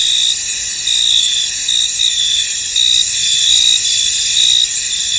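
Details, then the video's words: Many crickets calling across a foggy field, their thin high trill unbroken, swelling into brighter chirps in roughly one-second waves. "Tranquil Cricket Sounds In An Misty Field"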